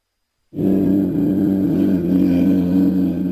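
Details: A South American cougar (mountain lion, puma) gives a low, rumbling growl, steady and continuous after a brief silence.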